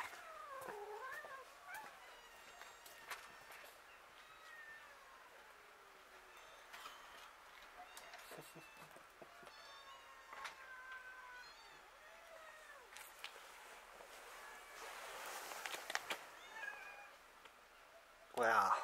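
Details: Hungry street cats squabbling over food at feeding time, several meows rising and falling at varied pitches, scattered through the recording amid rustling, with human speech in the background and a loud burst at the end.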